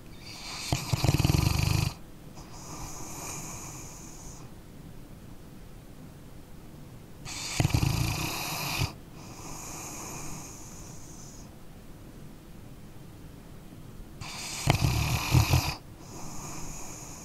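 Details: Sleeping dog snores steadily: three rattling, low snorts spaced about seven seconds apart, each ending in a long, airy wheeze of exhaled breath, with quiet pauses between.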